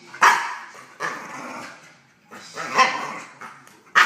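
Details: A young male dog, 10.5 months old, confronting an intruder in his kennel: sharp barks that trail into drawn-out, growling grumbles, repeated about every second or two.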